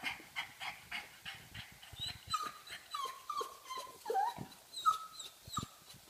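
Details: Pug wanting to play making a funny noise: rapid snuffling breaths and snorts with short, squeaky whining notes breaking through, uneven rhythm over six seconds.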